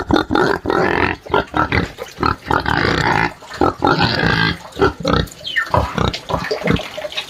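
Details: Crying pig in a farm pigsty gives loud, hoarse, drawn-out screams and grating squeals in uneven bursts, some longer wails mixed with short choppy cries.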